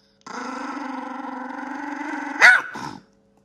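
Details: Small female Yorkshire Terrier kept as a family pet gives a long, even, rumbling growl for over two seconds, ending in one sharp bark followed by a brief trailing growl, then silence.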